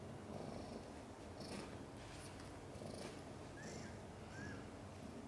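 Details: Mother cat Chan in labour, giving birth to five kittens, some born backwards: a low, steady, pulsing purr runs throughout, with two faint short high squeaks near the end and scattered soft clicks and rustles.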